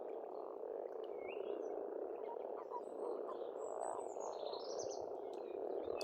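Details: Spring frog chorus from an Estonian farm pond: an unbroken, thick croaking drone throughout, while birds sing higher whistled and rising phrases over it.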